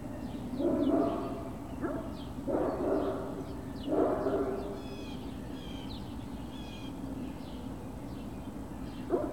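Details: Great Dane puppies recorded on 21 March 2019 around 11:18 in the morning, giving three short, harsh barks spaced about two seconds apart early on, then quieter, while small birds chirp and twitter in the background.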